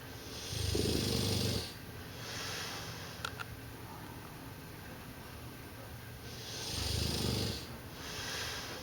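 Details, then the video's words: A sleeping Dogue de Bordeaux snoring indoors: two long, rasping, broadband snores, each lasting about a second, spaced roughly six seconds apart with quiet breathing in between. "Snoring Dogue De Bordeaux"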